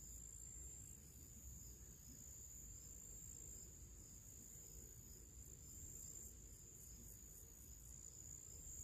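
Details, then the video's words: Crickets heard in nature during summer before evening, giving a sustained high, buzzing trill with quick even pulsing throughout, accompanied by steady low background noise. "cricket sounds"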